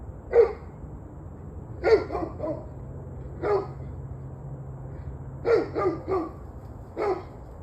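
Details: Dog giving repeated barks, 21 November 2023, 7:06 pm. Single barks alternate with quick doubles and triples in an uneven rhythm, with a low droning hum underneath.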